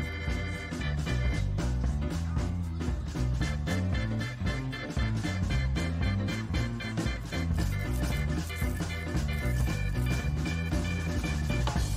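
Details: Upbeat swing-style music with a bouncing bass and bright brass-like notes fills the whole stretch.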